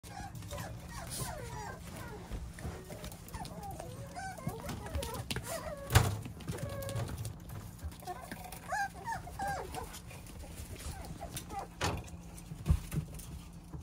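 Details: Plump, roly-poly Beagle puppy whimpering: thin, wavering high whines, rising and falling in short bursts, with a few yips and soft human voices and handling knocks in the background.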